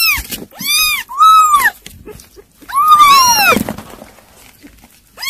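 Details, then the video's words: Kittens at weaning-food mealtime give loud arched meows around the bowl, a few closely spaced cries early then a long drawn-out one near three seconds, with quiet pauses between. "아깽이들 이유식 먹방"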